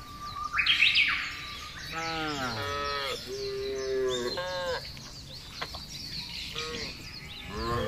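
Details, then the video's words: Thousands of cattle herded together across a broad grassland, with several overlapping moos from different animals, some rising and falling, a few sharp high chirps early on, and a steady outdoor background. "Menggiring Sapi Lembu Berkeliaran menyusuri Padang Rumput yang luas dan diiringi suara sapi"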